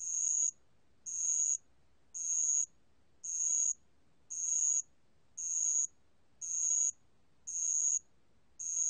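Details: Spotted bell cricket singing, from a National Institute of Biological Resources recording, 2020: clear high ringing trills about half a second long, repeated roughly once a second in a steady rhythm, against near silence.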